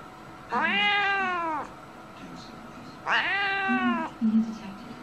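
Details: Cat (Felis catus), meow.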